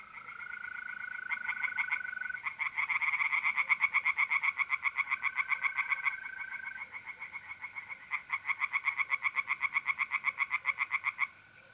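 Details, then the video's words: Tree frogs singing in a pond on an April night in north-east Italy: dense, rapid pulsed croaks repeated about four times a second in overlapping bursts, with a steady, even trill of mole crickets running beneath. "relaxing singing tree frogs in pond"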